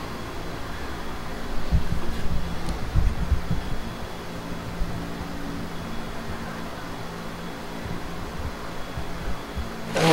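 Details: A low, steady mechanical rumble like a fan or motor fills the recording, with faint knocks and no animal sounds.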